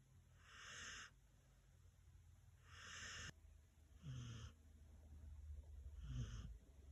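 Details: Senior dog sound asleep, four hissing snores spaced about two seconds apart; the later ones carry a deeper rumbling tone over a steady low background hum.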